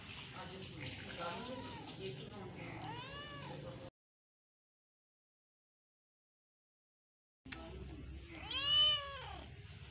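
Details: A pet cat meowing: a drawn-out, arching meow with rich harmonics around three seconds in, then a pause of near silence, followed by a louder, higher rising-and-falling meow near the end over a murmuring background.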